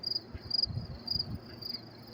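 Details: In cool weather on a late-May 2024 night in New York City, crickets give short high pulsed chirps about every half second, with soft low rumbling noise underneath.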